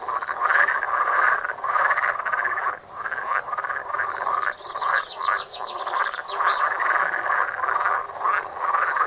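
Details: Many frogs calling together at a pond, filmed with a Samsung Galaxy Note. Rapid trilled croaks overlap in a thick chorus that swells and dips briefly near the third second, then continues.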